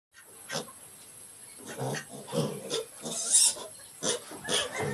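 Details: Mini pigs grunting in short, rough, snorting bursts, several quick grunts in a row between one and five seconds, some louder and breathier, with a faint high hiss in the background.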